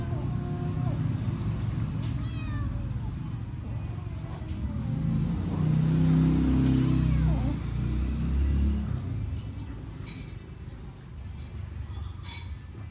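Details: Hungry cats eating a meal of rice give several short, bending meows in the first three seconds and again near the middle, set against a heavy low rumble like a passing vehicle and faint background voices.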